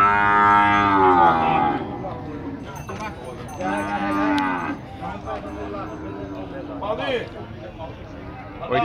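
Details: Wild bulls at a cattle fair in Tabira, Pernambuco, Brazil, recorded 6 April 2022: a long loud harmonic bellow opens, followed by shorter lowing calls, with a busy background of voices and clatter.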